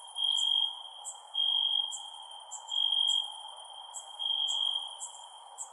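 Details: Nighttime cricket chorus: a piercing single-pitched trill that surges in short bursts, separated by quieter stretches, accompanied by faint high clicks and a low, constant hiss.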